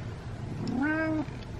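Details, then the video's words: Male domestic cat meowing while being brushed, which he enjoys: a single drawn-out meow, briefly rising then held level for about half a second before stopping, over a low background hum. "Brushing My Cat While He Meows"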